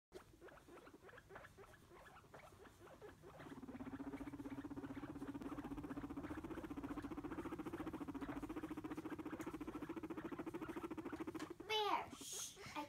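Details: Pet guinea pig being scolded by a seven-year-old child: a rapid, steady purring rumble pulsing many times a second for several seconds, then a brief high squeak at the end.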